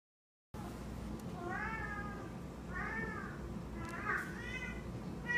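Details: Scooter, a pet cat indoors, carries his toy pig "da Pig" around and talks to it. He gives three drawn-out meows about a second apart, each rising and then falling, over a low room hum.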